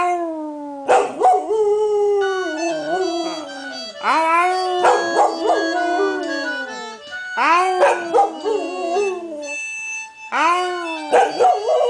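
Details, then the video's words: Female Border Collie singing along to Irish concertina music playing from a computer. She gives a series of long wavering howls that slide down in pitch, breaking into short yips, with the concertina tune audible between and beneath them. "Dog sings to Irish Music"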